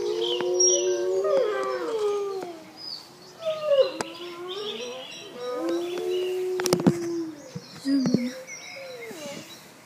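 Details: Several wolves in a zoo howl together, overlapping wavering tones that rise and fall with shifting pitches, some voices sliding upward, with brief sharp clatters near the end.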